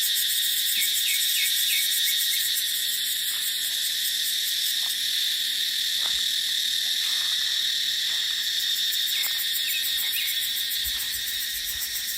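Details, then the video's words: Cicadas in dry dipterocarp forest during the dry season: a dense, continuous high-pitched drone with steady pulsing texture and no pauses, a few brief faint chirps above it, light wind in the background. "เสียงจั๊กจั่น สายลม ในป่าเต็งรังยามหน้าแล้ง"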